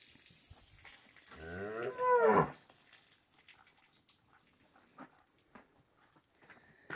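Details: Cow lowing in a corral during morning hand-milking while calves suckle, on a farm in Brazil; a single harmonic moo of about one second rising then ending abruptly, followed by faint clatter and distant voices.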